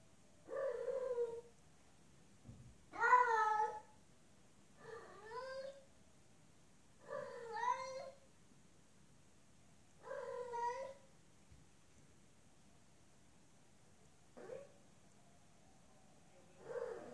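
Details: Female cat in heat calling to a male outside: loud, drawn-out wavering meows, about seven over seventeen seconds, each lasting roughly a second with short silent gaps, in a quiet indoor room.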